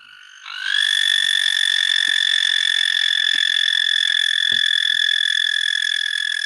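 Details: Male American toad singing to attract mates, standing tall with an inflated throat: a sustained, even, high trill that rises briefly at onset and then holds level for about six seconds, with scattered soft knocks underneath.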